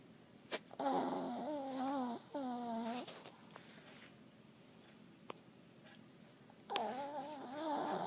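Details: Duke, a dog, snoring while asleep at night indoors: long, droning, slightly wavering tonal snores of about a second each, two close together, then a quiet pause broken by faint clicks before another snore starts.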